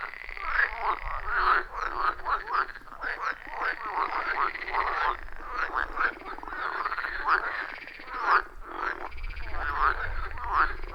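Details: Frogs calling loudly from a wild forest pond, phone and clip-on microphone recording: dense pulsing croaks from many overlapping frogs in a rhythmic chorus, with a soft low rumble at times and no talking.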